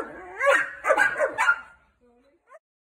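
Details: German shepherd puppy meeting an angry one-year-old Labrador for the first time; a wavering whine rising into a run of rough barks, then fading to soft faint squeaks.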